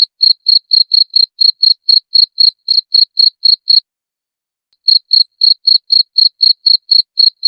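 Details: Cricket recorded clear as a training master for songbirds; evenly spaced bright, high chirps repeat rapidly, broken by one pause of about a second before the same quick rhythm returns.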